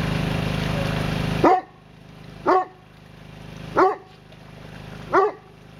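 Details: Male Newfoundland dog, excited, giving four deep resonant barks spaced roughly 1.3 seconds apart, after an opening stretch of loud rushing background noise.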